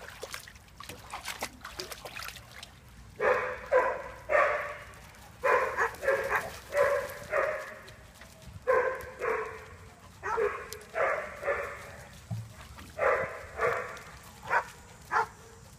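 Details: Persistent dog barking: sharp barks repeated roughly every half second to second for over ten seconds, with brief clicks and faint water-like trickle in the background.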